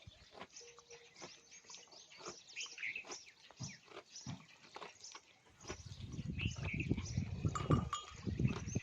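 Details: A camel chewing: irregular soft crunching clicks for about five seconds, then a loud, low, rumbling gurgle that swells and continues through the final three seconds.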